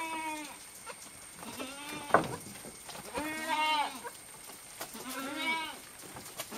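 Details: Little goat kids drinking milk bleat in quick succession, three or four wavering, nasal cries about one to two seconds apart, with a sharp knock and light handling noise between calls.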